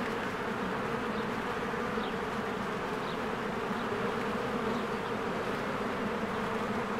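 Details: Honeybees busy at a hive in springtime, swarming in and out: a full, steady buzzing hum, with several soft, short high bird chirps dotted through the background.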